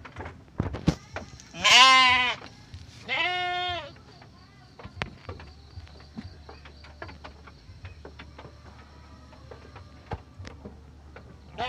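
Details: Garut sheep ewe in labour, restless, on a Ramadan morning, later delivering triplets; two loud harmonic bleats, the first rough and wavering, the second steadier, about a second apart, followed by quiet barn ambience with faint clicks and a low hum.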